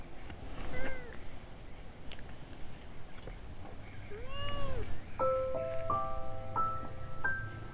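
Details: Kitten meowing from roadside bushes, possibly lost or separated from its mother, found beside street parking; two short arching meows early on, then steady electronic tones and background traffic noise.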